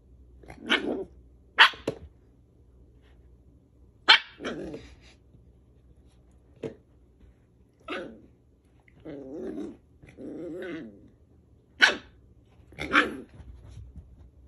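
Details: A Scottish Terrier barks sharply and irregularly at a pig, broken up by low, rumbling growls.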